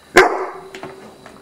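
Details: A nearly fully grown English Mastiff gives a single loud, deep bark, then two fainter thuds follow while a man tells the dog to stay and says he will close the door.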